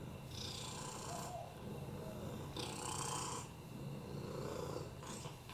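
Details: Oliver the rescue lap cat, with FIV and respiratory infections, purring while resting on a lap; a deep, congested, snore-like rumbling purr rising and falling with slow breaths about every two seconds.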